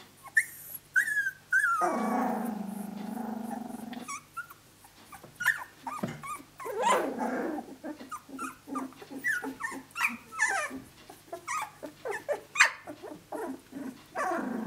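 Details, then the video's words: Australian Shepherd pups, 17 days old, walking around and playing with each other while vocalizing; low drawn-out growls mix with high whining squeals and short yips in a quick, overlapping sequence. "Aussie pups 17 days of age"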